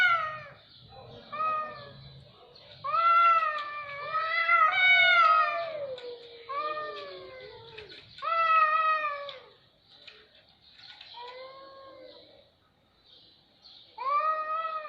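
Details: Cats heard in a loud, unsettling exchange: a string of wavering meows and longer moaning yowls that slide downward, some overlapping, then a quieter gap before a final strong meow.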